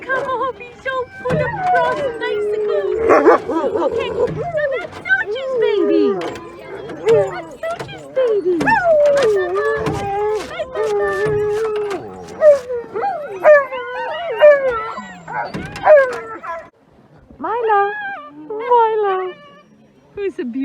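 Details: Alaskan Malamute sled dogs, including Sojou and Fish, before a run in Larose Forest, Ontario, Canada, at -30 °C in winter; many dogs give overlapping wavering howls, whines and yips that rise and fall, with sharp bursts throughout.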